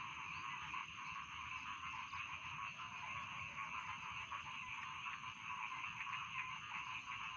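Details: Chorus of rice field frogs: an unbroken mass of overlapping trills and croaks holding a constant buzzing texture throughout, over soft low background noise.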